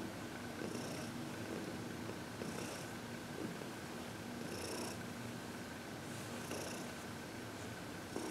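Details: Contented purring from Heidi, a senior shelter-adopted cat aged 14, relaxing under massage and reiki in February 2021; an unbroken low rumble with gentle breath cycles recurring every couple of seconds.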